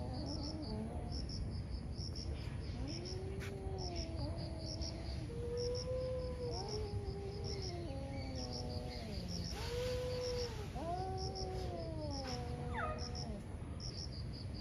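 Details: Morning fight between two angry cats: overlapping moaning yowls rise and fall in long wavering howls, trading back and forth, one higher wail cutting in, with constant cricket chirps and low rumbling noise behind.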